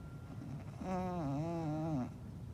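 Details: English bulldog giving a single snore about a second long: a wavering, nasal, harmonic-rich rumble that dips and rises in pitch before fading, over steady low background hum.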